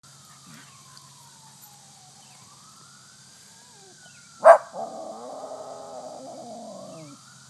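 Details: West Highland White Terrier howling at a fire truck passing with its siren on; a long rising and falling siren wail, a sharp knock, then a wavering, nasal howl held for about two seconds.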